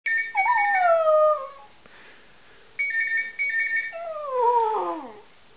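A dog gives long, sliding howls that fall in pitch, over an electronic ringing tone.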